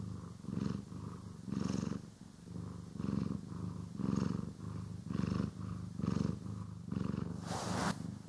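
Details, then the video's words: Domestic cat purring while brushed, stereo recording; soft low rumbling purr in repeated swells about every second, quieter than before, ending with a sharp hissy brushing or rustling burst. "CAT ASMR | Purring, Grooming & Brushing"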